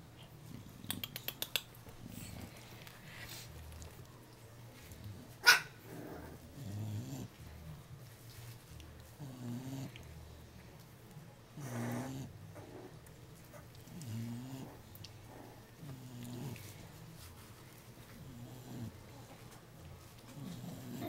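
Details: Three-week-old puppies Jacob and Jordon, offspring of Abby and Diesel, indoors in a small room: soft low growling grunts in short bursts through the clip, a few sharp clicks and a loud knock near the start, a woman talking to them.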